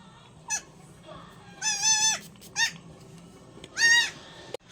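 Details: Four high, strained bleats from newborn goat kids less than a day old, given liver extract and iron shots and still unsteady on their feet; brief cries alternate with longer quavering ones, with faint background hum between them.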